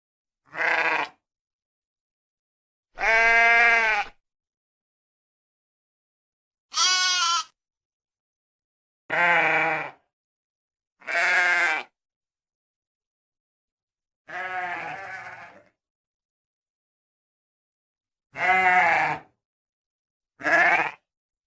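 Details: Series of eight sheep bleats over about twenty seconds, some quavering and tremulous, others steadier and drawn out, all separated by clean silent pauses.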